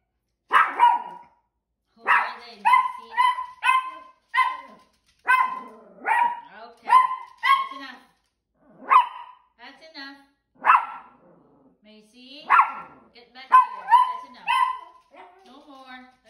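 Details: Macy, a Yorkshire terrier, barks because she wants to run after the other dogs. Sharp, high yapping barks come in quick bursts of two to four, with short silent gaps between clusters, over about sixteen seconds.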